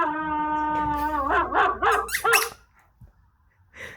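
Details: German Shepherd Jax holds a steady harmonic howl, then breaks into a run of four quick wavering yips before falling silent, a faint sound closing.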